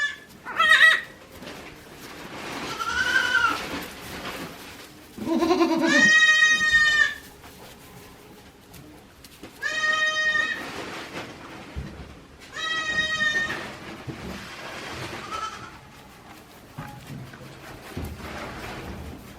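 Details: Goat kids one day old on Yoshigake goat farm, Japan, April 2024: a run of loud, drawn-out bleats, several lasting about a second and spaced roughly three seconds apart, mixed with shorter quavering cries and quieter grunting calls.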